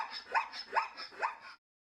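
A zebra gives three sharp, rising barking yelps, about half a second apart, over a faint hiss.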